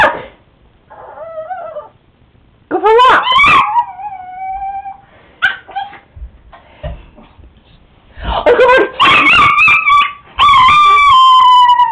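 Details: Pet Chihuahua howling when excited, indoors: drawn-out, wavering whines that rise and bend, with short gaps between, mixed with bits of human talk.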